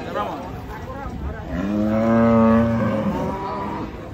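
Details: During unloading from a truck, a cow lets out a strong drawn-out moo lasting about two seconds, rich in harmonics, after some muffled voices and handling noise.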